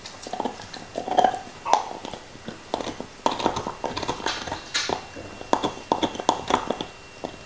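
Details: Crunching and biting from Nixon, a black Labrador Retriever, eating his favourite beef bone in 2019. Uneven bright cracks and moist chomping come in short clusters, with brief quieter gaps. No talking.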